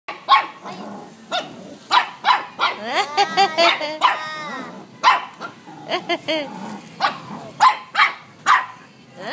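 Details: Two Shih Tzus vocalising back and forth as if talking to each other: a rapid run of short barks and whiny, wavering yips with rising and falling tones, alongside human speech and laughter in the room.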